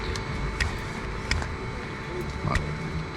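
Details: A steady low engine hum and faint tonal drone run throughout, with a few sharp clicks and knocks.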